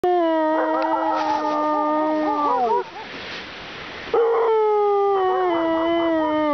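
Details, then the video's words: Siberian husky howling after his female companion lost in the dark: long sustained tonal howls with rich harmonics, gently falling and wavering, broken by a short noisy gap before a second howl starts and slowly descends. "Husky is calling his girlfriend"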